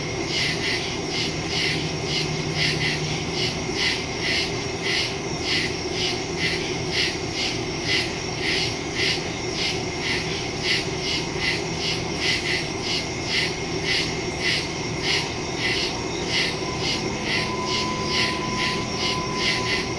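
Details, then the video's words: Crickets in the woods at night, recorded September 2, 2023 on a Samsung Galaxy S22 Ultra phone with a Shure MV88+ stereo microphone: rapid, evenly pulsed high buzzy chirps repeating steadily for the whole stretch, over a constant high insect drone and a low background hum. "Crickets in the woods at night"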